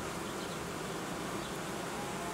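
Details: A honey bee colony that raised queen cells and made royal jelly, now being reorganised as food in the hive runs low; an even, unbroken mass hum of bees throughout.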